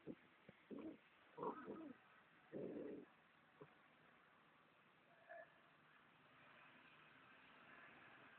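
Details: Luna, a Golden Retriever at play, gives a quick series of short, gruff low bursts in the first three seconds, one brief higher note near the middle, then only a steady hiss.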